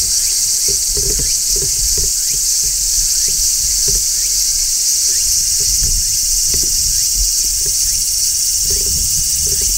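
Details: Summer song of a large brown cicada: a loud, constant hissing buzz with no gaps, over scattered soft clicks and light low background noise.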